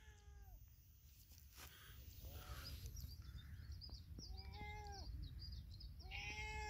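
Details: Cat in village life meowing: four short harmonic meows roughly every one and a half to two seconds, each slightly falling at the end, over a steady low rumbling background noise.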